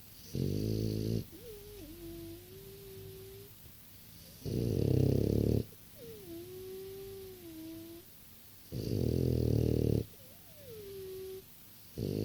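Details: A six-year-old French Bulldog snoring indoors: loud, rough, low snores of about a second each, repeated roughly every four seconds, with soft wheezy whistling tones rising then falling between breaths.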